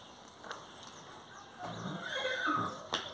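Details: Horse saddled by a child at a riding school gives a brief harmonic whinny midway through, with hoof clatter and a sharp knock before and after.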